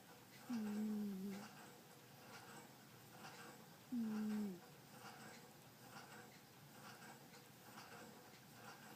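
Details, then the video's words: Snoring from Butterfly, a sleeping pet cat indoors: two drawn-out, low, slightly wavering whistled breaths about three and a half seconds apart, each sliding gently down in pitch, with faint room noise between. "Butterfly snores"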